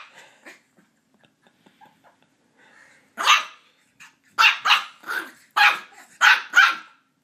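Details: Puppy Ollie, a Border Terrier, going after a squeaky toy: faint clicks and rustles at first, then a burst of shrill, rapid yaps in quick succession during the second half.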